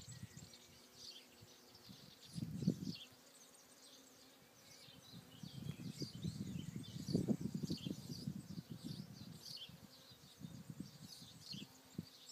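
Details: Bees buzzing among blossoms on Alicudi in the Aeolian Islands, Sicily; a short loud drone near two and a half seconds, then a longer fluttering hum from six to nine seconds, faint bird chirps high in the background.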